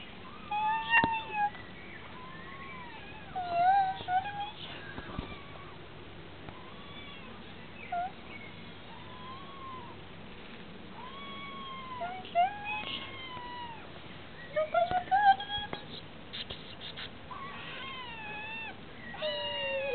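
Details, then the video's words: Kittens calling: many short, high, arched mews overlapping at an irregular pace, some rising and some falling, with a few louder squeaky cries, over a low indoor background. "my cittens"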